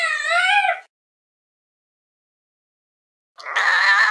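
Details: A fluffy cat gazing out of a window: a brief tonal meow at the start, a long silence, then a louder, rougher meow that begins near the end.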